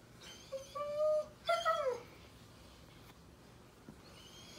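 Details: German Shepherd puppy crying at bedtime: two high whining whimpers, one steady then one rising and sliding down, followed by near silence and a final short whine starting at the end, indoors.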